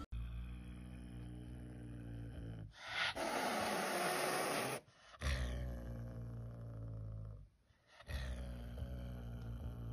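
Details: Angry, aggressive cat growling with a low, droning rumble, broken by a loud two-second burst of harsh breathy hissing, then more rumbling growls with a short gap of quiet.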